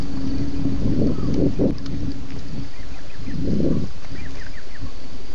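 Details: Night roaring by at least two lions at Djuma waterhole, 01:30 a.m., 11 November 2016, after one BB drank. Short deep grunts come in two clusters about two seconds apart over a low hum.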